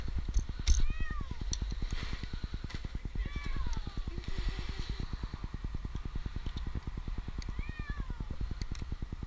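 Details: Jinx, an 8-month-old male kitten stranded two nights in a tree in Newark, Ohio, gives three drawn-out, arching meows spaced a few seconds apart over a steady, fast-throbbing engine rumble, with a person coaxing him nearby.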